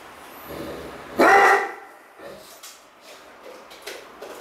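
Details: Great Dane named Cartier Bresson playing indoors in an apartment in Sao Paulo, August 2014: one loud, harmonic bark bursts out after a quiet start, then soft rustles and small knocks follow.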